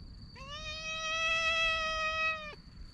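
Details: Stray cat, patted on its lower back, lets out one long steady meow of about two seconds, rich in harmonics and level in pitch, over faint low background noise and a thin constant high tone.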